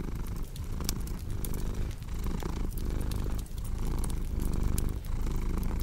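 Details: Purring cat with a thick, rumbling purr that surges on each breath, about every second, accompanied by frequent sharp crackles of burning wood in a fireplace.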